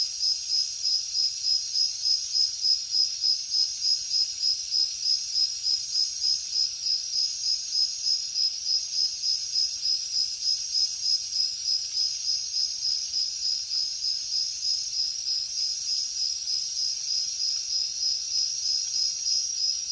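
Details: Crickets chirping through a jungle night, their piercing pulsed trill beating evenly around three times a second and loudest early on, accompanied by a continuous sizzling insect drone above it.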